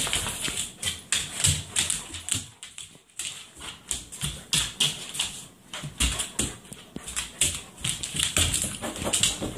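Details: Great Pyrenees dog indoors during a couch duel, breathing in quick breathy huffs, roughly two or three per second, with a brief pause midway and soft rustling between breaths.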